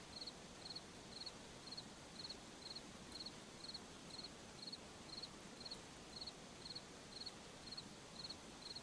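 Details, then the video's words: At night in a forest, crickets keep up a metronomic series of sharp, high pulsed chirps, roughly twice each second, over a soft continuous background hiss. "Sound of Forest at Night, crickets, insects"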